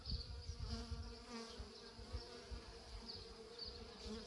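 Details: Honey bees at work in a hive: a steady droning hum with layered low tones, faintly wavering, over soft irregular low thumps.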